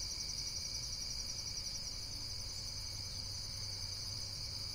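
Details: A continuous wash of high-pitched, rapidly pulsing insect trills that holds an even level throughout, with soft low-frequency rumble underneath.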